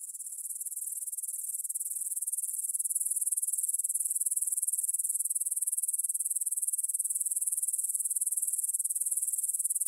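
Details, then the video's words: Grasshoppers stridulating in a meadow near the Svensky monastery in Bryansk, Russia, at 9 pm on 6 September 2020, recorded on a Tascam DR-44WL: a dense, steady high-pitched shimmering chirr with rapid pulsing and nothing else audible. "кузнечики на лугу – Grasshopper Sounds in the Field"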